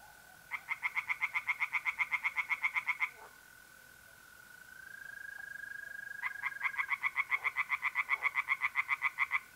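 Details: Pond at night in north-east Italy, mid-April: a tree frog sings two long bouts of rapid, rhythmic rasping croaks, about four per second, separated by a pause in which the steady high trill of mole crickets carries on.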